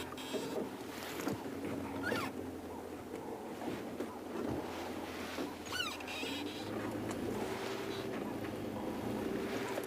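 A steady vehicle engine rumbles throughout, with faint voices and wind noise and no clear animal calls.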